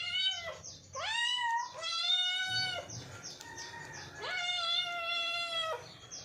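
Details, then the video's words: Cat meows, drawn-out and tonal, with a sharp rising onset followed by a long flat wail, three calls over several seconds against a steady background hiss and faint higher overlapping calls. "funny and cute cats meowing complation / cats sound effects"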